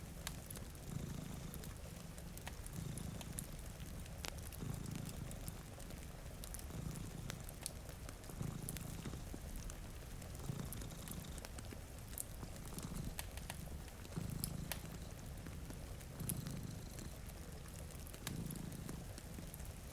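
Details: Purring from two cats sleeping in front of a rainy window beside a cozy fire: a low, rumbling purr rising and falling in steady bursts about every second and a half, with fire crackles and rain pattering throughout.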